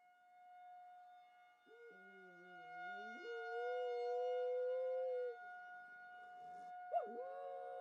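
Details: Pet dog howling at a tornado siren sounded for its once-a-month test; a wavering low howl climbs into a long steady high note, then stops, and a sharp rising yelp-howl returns near the end against the constant siren drone.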